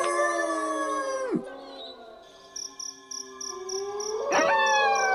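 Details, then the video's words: Wolves howling: a group of long descending howls ends in a steep drop, a brief lull with faint insect chirps, then one howl slowly rises and a fresh burst of voices swoops upward and holds. "Mesmerizing Wolves Howling"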